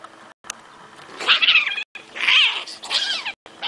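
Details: Cat giving two bursts of high, wavering, strained cries, the second longer and sliding up and down in pitch, separated by brief cuts and a quiet gap.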